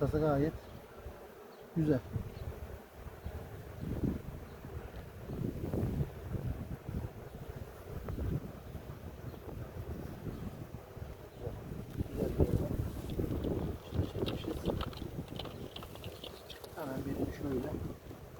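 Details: Honey bees at a village hive in Ceyhan during a queen check after honey harvest; a dense, steady low buzz of many bees fills the recording, with a man's voice briefly heard near the start and toward the end.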